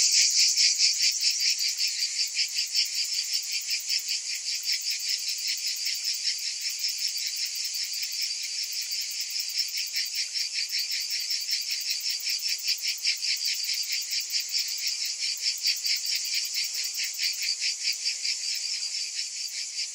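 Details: Cicadas calling in summer: a dense, high-pitched, shimmering buzz that pulses steadily about two to three times a second, loudest at the very start, with no other sounds.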